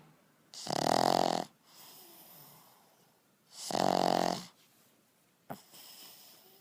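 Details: A pug asleep snores twice, three seconds apart, each a loud rattling rasp of nearly a second, with faint wheezy breaths between and a short click near the end.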